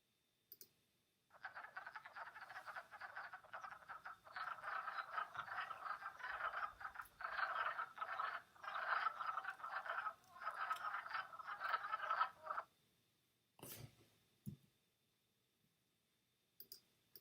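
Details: In early spring or late winter, many wood frogs chorus at a forest vernal pool. Their steady, overlapping low, hoarse clucks sound like quacking ducks, run about eleven seconds, then stop, followed by a few faint clicks.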